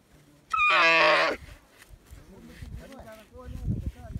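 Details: Baby camel calling with one loud, harmonic, nasal bleat lasting almost a second, then quieter rustling and faint background voices.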